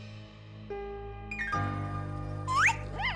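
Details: Cheerful jingle music with tinkling chimes and sliding whistle-like tones, and no animal voice heard.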